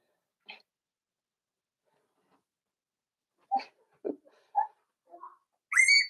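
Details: Four-week-old Cavalier King Charles Spaniel puppies in a home puppy pen, being socialized with older dogs and offered puppy mash. Brief, scattered squeaks and whimpers after a quiet stretch, ending in a louder, high, rising whine.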